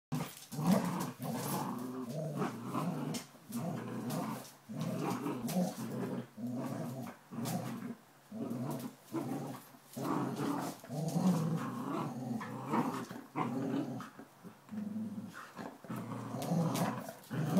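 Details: A 12-week-old Border Collie puppy playing tug with a 9-year-old Springer Spaniel indoors; low rumbling growls rise and fall in bursts throughout, with short pauses between pulls.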